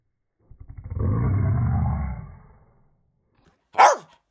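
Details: West Highland White Terrier giving a roaring vocalisation: a low, rough, rumbling growl building over about two seconds then fading, followed by a short sharp higher yelp or bark near the end.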